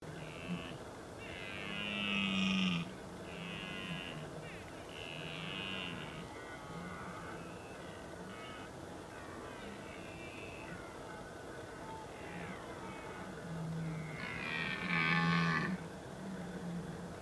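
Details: Red deer during the rut in the Oostvaardersplassen, Netherlands, 15 October 2011: deep, drawn-out roars repeat through the clip, with higher calls from other animals sounding over them.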